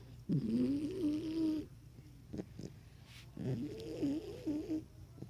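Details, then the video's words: Sleeping Cane Corso puppy snoring very loudly; two long, wavering, rasping snores about a second and a half each, with a quiet pause and faint clicks between them. "Cane corso puppy snoring ridiculously loud"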